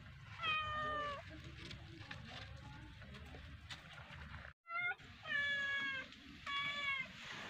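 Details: Cat playing with a fish, mewing quietly: one drawn-out falling meow early, then after a brief silence three more wavering meows close together over a low background hum.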